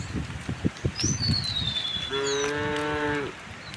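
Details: Tame cows heading through a village to the rice fields; a single drawn-out moo of about one second follows clattering hoof steps, with a clear descending bird whistle above.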